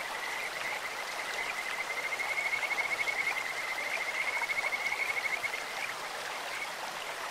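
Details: In a clear-flowing stream, a Kajika frog sings a sweet, bird-like trill of rapidly repeated high whistled notes held on one pitch for roughly four seconds, set against continuous babbling water.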